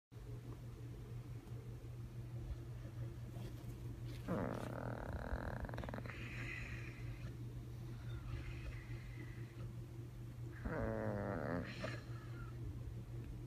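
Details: Bandit, a puppy, sleeping hard in a weird position, snoring with odd croaking sounds likened to a frog; low rumbling breaths with two louder raspy, wavering snorts indoors over a steady hum.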